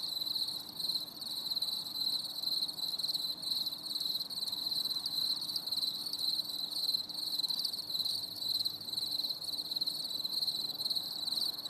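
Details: Steady cricket chorus from a stormy summer evening, bright high trilling sustained without pause, rhythmic pulses blending into one shrill band over quiet low hum.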